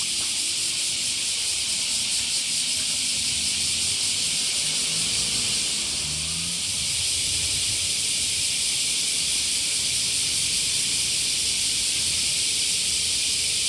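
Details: Small summer cicadas in Japan, a chorus heard on waking: a dense, continuous, hissing buzz, high-pitched and steady throughout, with a faint low rumble beneath.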